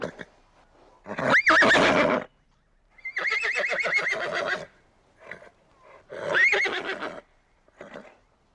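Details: Horse neighing: three loud, wavering whinnies, each about a second long and trailing off in shaky pulses, separated by short pauses with a few brief snorts between them. There is no other clear background sound.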